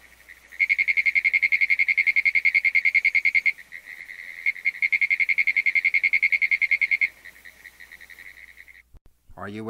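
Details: A Pinewoods Treefrog (Hyla femoralis) gives long, rapid runs of high, dry ticks, like a telegraph key clattering; its balloon-like vocal sac acts as a resonator.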